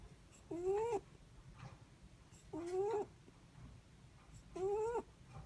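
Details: Sleep breathing of a Netherland Dwarf rabbit: three brief, rising, whistle-like snores with airy onsets, recurring at roughly two-second intervals over faint low background hum.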